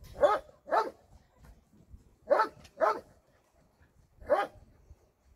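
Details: Barking at a dog shelter on a Sunday volunteer visit: pairs of sharp barks, two quick ones, a pause, two more, then a single final bark, with quiet between.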